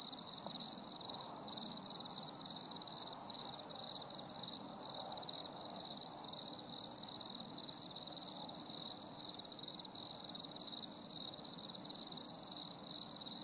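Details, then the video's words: Crickets sing through a stormy summer evening, a steady shrill chorus of rapid pulses held without pause, bright upper harmonics ringing over a faint murmur of distant low noise. "CHANT GRILLONS"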